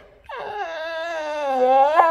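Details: Rex the Swedish Boxer whining, eager to play, as calendar pages are turned indoors; a single sustained nasal whine about two seconds long, steady in pitch with rich overtones, ending in a slight upward squeak.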